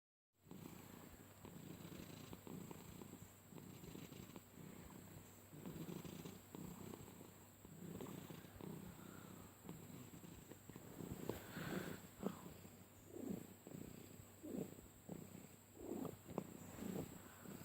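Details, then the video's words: Domestic cat purring while being petted, with unusually rough, motor-like purring; steady low rumbling pulses, growing louder and more rasping toward the end, with a faint high electrical hum throughout. "weird purring noises"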